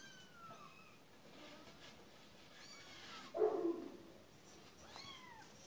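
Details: Cat meows: faint, falling harmonic cries at the start, a brief call near the middle, and a clearer downward-sliding meow near the end, against a quiet background.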